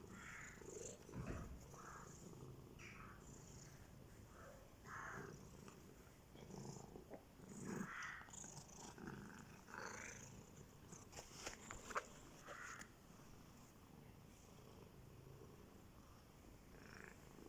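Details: Two domestic cats purring and meowing as they compete for attention; a continuous low purr runs under short bursts of meows, some rising and falling, with a sharp click near the middle.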